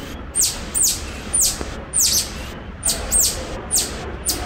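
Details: Cotton-top tamarin at Franklin Park Zoo uttering loud, piercing chirps that drop steeply in pitch, often in quick pairs, roughly ten calls in four and a half seconds, against a quiet indoor background.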